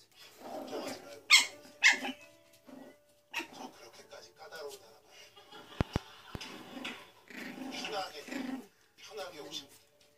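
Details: Pomeranian and poodle facing off indoors: rough low growls in bursts broken by a few sharp barks, with human speech and some music in the background.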